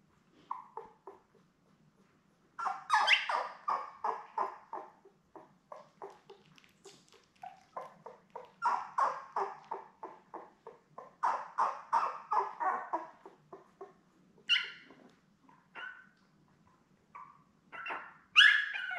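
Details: Labrador Retriever pups from Belle's litter of seven, born May 24, 2021, nursing indoors with their mother: busy overlapping squeaks and whimpers, rapid and irregular, with a few sharper high squeals, broken by short pauses.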